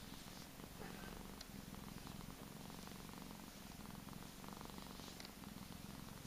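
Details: Gizmo, a fat, spoiled Persian cat kept as a pet, purrs steadily indoors: a continuous low rumbling throb with fine rapid pulses, holding evenly for the whole stretch, with a faint thin hiss above.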